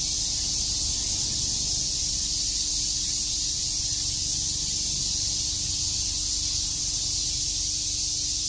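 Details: Cicadas chirping on a summer day in Shakujii Park, Tokyo: a dense, unbroken high-pitched buzzing hiss holds steady from start to finish, with a faint low hum beneath.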